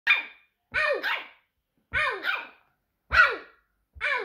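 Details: A 700 g miniature Yorkshire terrier 'talks', giving a run of short, high yowling barks that bend up and down like speech.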